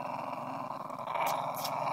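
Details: Female Cairn terrier, a house pet, indoors, baring her teeth and growling at her owner as a show of affection when the owner is leaving; a steady, rumbling, throaty growl runs unbroken for two seconds, with brief hissy bursts near the end.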